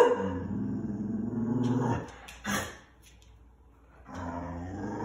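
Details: Dog producing a low, rumbling, harmonic growl that sounds like a lawn mower, sustained for about two seconds, then a brief burst, a pause, and the droning growl resumes near the end.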